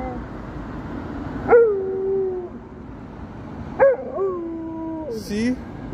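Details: Alaskan Malamute howling in response to a police car siren; two short howls, each starting with a sharp rise and then sliding down and wavering, about two seconds apart over a steady broadband background noise.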